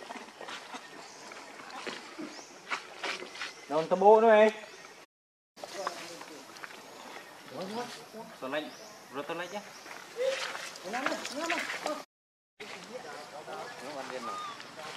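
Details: Baby monkey named Rainbow, hungry and very angry, crying and begging its mother for milk; loud wavering arched cries clustered mid-way, with scattered chattering squeals and rustling between bursts.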